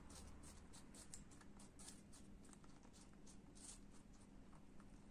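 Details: A pet lop rabbit chewing apple, with rapid, crisp crunching clicks repeated several times a second.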